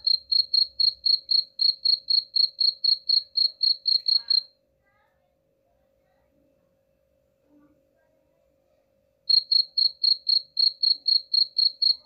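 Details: Cricket chirps meant to chase off rats: a quick run of high, evenly pulsed chirps, about four per second, stops for roughly five seconds of near silence, then starts again.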